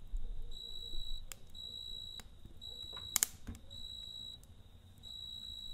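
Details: A cricket trills at night in high, ringing bursts near a crackling campfire, with one loud cluster of fire pops midway and a gentle low hum throughout.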